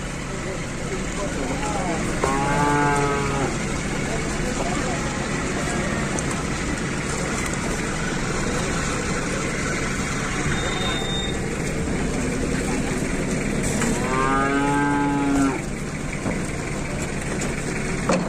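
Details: Qurban cattle being loaded onto a truck in 2022 by Indonesian farmers; two drawn-out harmonic moos, near the start and again around fifteen seconds, over a constant engine rumble and men talking.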